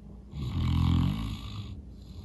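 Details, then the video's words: St. Bernard named Norman snoring super loud while sleeping after a long day of playing outside; one deep, rumbling inhaled snore swells and fades over about a second, with a softer breathy exhale after. "Snoring dog. St. Bernard so tired after a long day"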